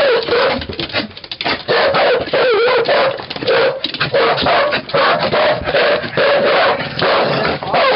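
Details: Cardigan Welsh corgis with a Pembroke Welsh corgi named Goro, recorded 13 May 2011: an almost unbroken run of wavering, whiny tones, rising and falling and broken by a few short yips across eight seconds.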